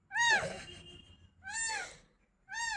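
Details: Crying cat, recently fed, lets out three plaintive meows about a second apart, the first louder with a rough, noisy edge, the others clear and falling in pitch; low room noise underneath.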